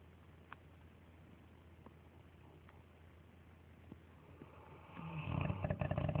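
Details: Dogue de Bordeaux dogs Lilly May and Eric asleep indoors and snoring loudly; quiet room at first, then a low, rasping, pulsing snore breath swells over the last second or so.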